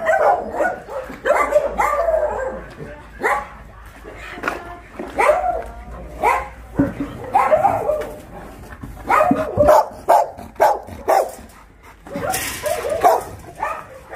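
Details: At a Korean dog shelter, the Ulsan Narae-ul Center (formerly Mindeulle Shelter), a crowd of shelter dogs keeps up irregular, overlapping yappy barks for a long stretch during a volunteers' visit, with occasional clattering noises.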